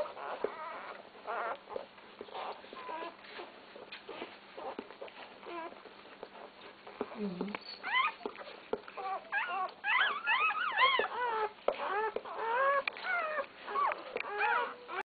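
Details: Twelve newborn Basset Hound puppies, born that day (6 September 2010), squeal and whimper in thin, high, overlapping cries as their mother tends them.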